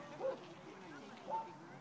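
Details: Pao, a dog playing at a favorite park in Pasadena with big brother Teddy, runs and barks at other dogs; two short, sharp yapping barks about a second apart, with a person's voice calling "come on" nearby.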